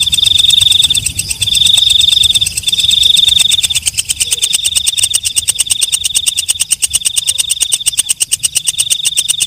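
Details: Walang kecek, a night katydid, giving three long shrill buzzing trills, then a steady high whine under fast, even ticking pulses that run to the end with no other sounds.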